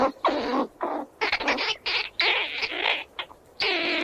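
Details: Squirrel squeals while running around, a near-continuous series of long, harsh, noisy squealing bursts, each lasting about a quarter to half a second with only brief gaps between them.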